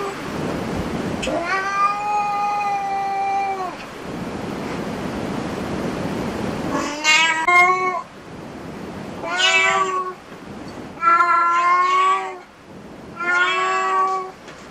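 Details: Cats at a cat cafe meowing: one long, level, steady meow around two seconds, then four shorter, wavering meows spaced over the following seconds, with a low indoor murmur underneath.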